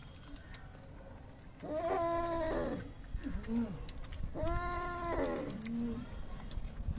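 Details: Domestic cat being bathed, giving two drawn-out, wavering meows about two and a half seconds apart, each followed by a short, lower squeak, over steady low background rumble.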